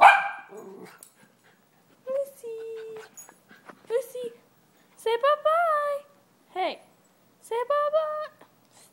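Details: Lucy, a one-year-old Miniature Schnauzer, barks at a dog on TV: short, high, yelping barks in bursts with rising and falling tones, while a person urges her on and talks between the barks.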